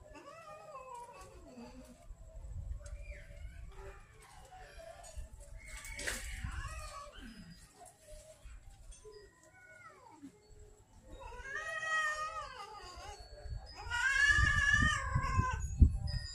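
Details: Hungry street kittens and cats in Banyuwangi, Indonesia, angry at late feeding: repeated wavering, whining meows from several cats, overlapping and growing louder and more insistent toward the end, over rustling, low rumbling noise.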